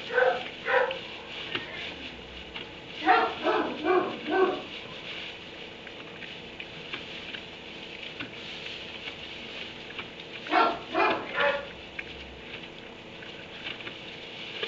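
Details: Dog in a kennel in a barn at 3 am, barking in three short bursts of two to four sharp, mid-pitched woofs, separated by quiet gaps with low room hiss.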